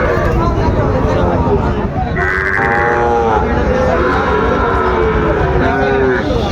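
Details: Sahiwal bull calves for sale at Ambari cattle market in Dinajpur, Bangladesh, on 27 February at the start of trading; a lowing moo rises through dense market chatter and bargaining voices, with steady crowd hubbub throughout.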